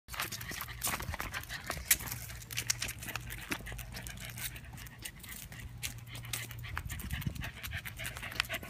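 A Welsh Corgi pants in quick, breathy bursts over a low steady hum.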